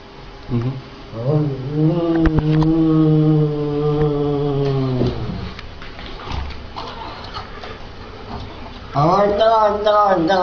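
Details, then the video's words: Cat 'talking' with a long, low, drawn-out yowl of about three seconds that swells then sags at the end, a pause with rustling, then a second rising yowl begins near the close; a person exclaims. "Demon Cats Talking funny"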